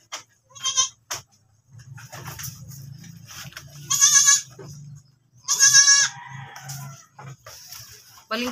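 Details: Farm goat that has given birth again bleats repeatedly, short harsh nasal cries spaced a second or more apart, with a low mechanical hum and a brief human voice in the background.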